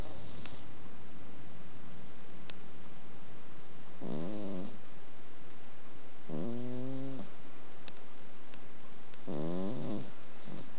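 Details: Adopted female Exotic Shorthair cat, around seven years old, snoring in her sleep indoors: three rhythmic raspy breaths roughly every two and a half seconds, each a low buzzy rattling rise and fall.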